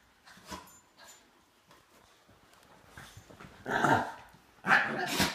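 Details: German Shepherd/Great Dane mix dog play-fighting with a smaller Shih Tzu housemate, recorded on an iPhone 5S; faint scattered scuffles, then two loud, harsh, broadband bursts in quick succession near the end.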